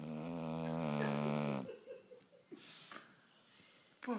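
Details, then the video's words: Pumpkin Smooch, a pet dog, snores while sleeping and dreaming indoors: a drawn-out, buzzy, rattling snore for about a second and a half, then quieter breaths with a few soft snuffles in a hushed room. "Pumpkin Smooch has a slight snoring problem"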